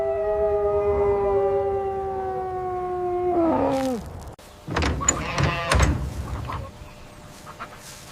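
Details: Large white Arctic wolf giving one long, steady, even-pitched howl for about four seconds that bends downward as it fades, followed by thumps, scraping and rustling noises.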